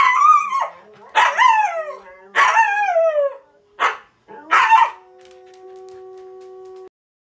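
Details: Astra, a Siberian Husky, howls and talks while watching videos: four loud, wavering, falling howl-yelps with strong harmonics, separated by brief gaps, ending in a steady hum-like tone from the screen.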